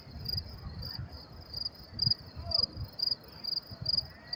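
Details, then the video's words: Crickets chirping at night in New York City on May 28, 2024: a high, shrill pulse repeated about twice per second in an even rhythm, with a low urban rumble beneath. "sound of crickets chirping"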